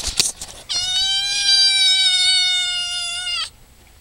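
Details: A pet cat gives a single sustained, even-pitched meow of nearly three seconds, bright and nasal with strong overtones, ending abruptly; a brief clatter is heard just before it.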